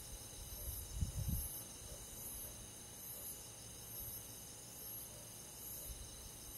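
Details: On a summer night, crickets and forest insects keep up a continuous high trilling chorus with a regular shrill pulse overhead; a brief low thump near the first second briefly interrupts.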